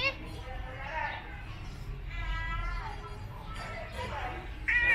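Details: Domestic cats JingJing and Puma, a brother and sister, being groomed during ear cleaning at home near a busy road. Several drawn-out, wavering meows sound about a second apart, the last one sharp and loud, amid Vietnamese speech.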